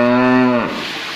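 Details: Cattle on a farm giving a short, low, steady moo about half a second long with strong even harmonics, then fading into background room noise.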